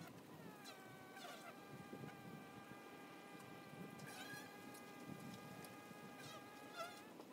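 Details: Buzzing of honey bees at the entrance of a hive, a smooth sustained hum whose pitch wavers and bends as bees come and go, over a rough low background rumble.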